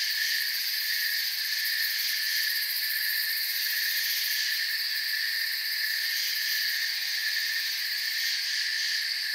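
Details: Forest crickets at night, calm ambience beneath the canopy. Their chirping merges into a constant shrill drone layered at several high pitches, swelling very slightly now and then but never stopping.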